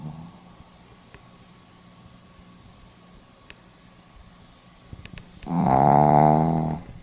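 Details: Sleeping Pomeranian dog indoors, recorded 4 November 2015 in Hiroshima: after about five seconds of quiet room hiss, a single loud, rasping snore of harmonic, buzzy tone lasting roughly a second.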